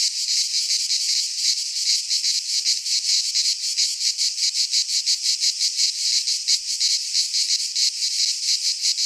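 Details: Cicadas in a pine forest of Greece during midsummer: a continuous sizzling high drone with fast wavering pulses, steady in loudness, no other creatures heard.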